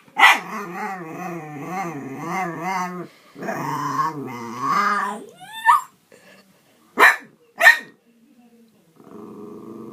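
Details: Playful dog wrestling with a cat voices long wavering growls that rise and fall, then a couple of high yelps and sharp barks, ending in quiet low rustling.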